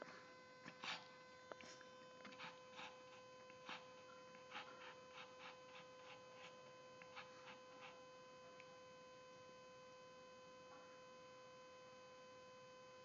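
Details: Penny, a female Shih Tzu at her owner's workplace, whines in frustration because she wants to jump into a lap but cannot because of luxating patellas. Short nasal whines come in quick runs for about eight seconds over a steady electrical hum.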